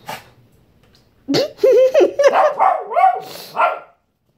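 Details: Shih Tzu named Fendi, angry and wanting his fruit, barks in a quick, uneven burst of high, yappy barks with whiny bending pitch, about eight in two and a half seconds, after a quiet start.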